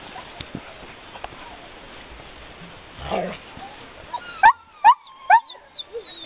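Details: Sled dogs having fun: after about four seconds of low, noisy rustling come three short, high, clear yelps in quick succession, about half a second apart, then a fainter call at the end.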